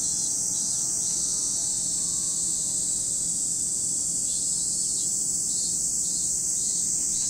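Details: Continuous shrill cicada chorus recorded at Lake Kamo in Sado City, Niigata Prefecture, Japan, steady and high-pitched throughout, with a softer intermittent pulsing buzz at the beginning and near the end.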